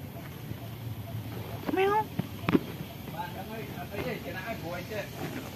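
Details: Pagoda cat, wary of humans and hiding, lets out one clear arched meow followed by softer, shorter mews in quick succession, with a sharp knock and outdoor rustle behind.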